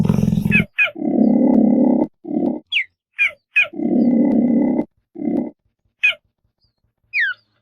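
A cheetah gives harsh, rasping growls broken by short, high, bird-like chirps.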